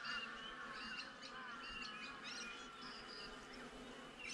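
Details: Honey bees buzzing outside a beehive, recorded with a GoPro: a steady low hum with layered harmonic bands, overlaid by frequent high, chirping bird calls.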